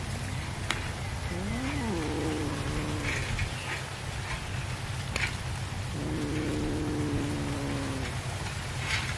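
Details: Domestic cat calling while being fed fish: two bouts of drawn-out, wavering meows, one near the start and a longer, steady one later, over constant low hum and scattered clicks.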